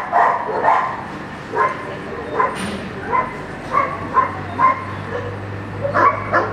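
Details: During Schutzhund 1 blind practice, the young German Shepherd Echo barks in clear, evenly spaced single woofs about every half second to second, with a low steady hum behind.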